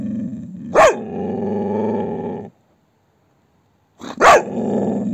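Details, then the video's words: Angry Belgian Shepherd growling because nobody will play with it. Two sustained, rumbling growls, each opening with a sharp, sudden bark-like yelp, separated by a short silence. "I am very angry when you don't play with me"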